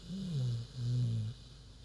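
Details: Queenie, a big pig, asleep and snoring: two low, droning snores, each about half a second long, separated by a short pause, with nothing else clearly heard.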